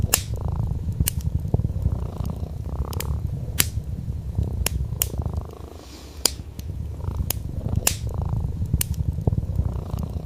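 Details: Domestic cat, an orange tabby sleeping on a wool rug by a fire, purrs in a low buzzing rumble in breath-length cycles with one softer pause, while the fireplace crackles and pops throughout.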